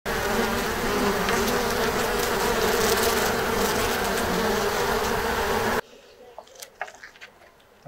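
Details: Japanese honeybees (Apis cerana japonica) at a unique hive box in Kyoto, Japan, during a once-a-year honey harvest. Dense, steady swarm hum with a low droning band, cutting off abruptly after about six seconds to near quiet with faint clicks.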